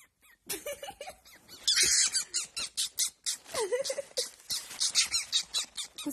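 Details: Young pet fox waking up with a laughing chatter: rapid series of short, high, squeaky pulses, some rising and falling, with a burst of harsh hiss, indoors in a small room, a woman speaking Russian nearby.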